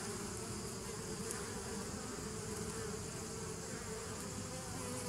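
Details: Low, constant buzzing of many bees recorded 27 September 2018, a rich humming drone with a faint higher tone running through it, level and uninterrupted from start to finish.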